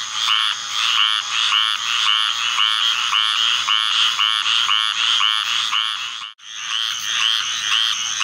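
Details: Large chorus of squirrel treefrogs set off by the arrival of summer thunderstorms, a dense stream of overlapping raspy calls repeating roughly twice per second, with a constant shrill insect hum above and a brief dropout near the end.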